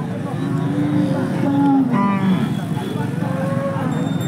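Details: Bull for sale at a livestock market in Shahrixon, Uzbekistan, giving a short, low, harmonic moo that holds a steady tone and then fades, with men haggling over prices in the background.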